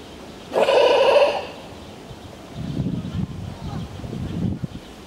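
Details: Evening at the sea lion enclosure, Berlin Zoo, 6 September 2012: a sea lion gives one loud, bleating, harmonic call lasting under a second, followed by low murmuring.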